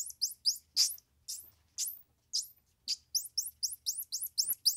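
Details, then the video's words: Squirrel monkey uttering shrill, upward-sliding chirps, spaced at first, then crowding into a quick, even run of peeps toward the end, over a faint low hum. "Squirrel Monkey Sound"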